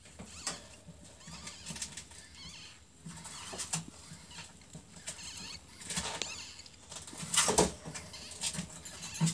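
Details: Newborn ferret kits, only a few hours old, in a workshop give thin, high squeaks in short clusters. Steady rustling and handling noise runs underneath.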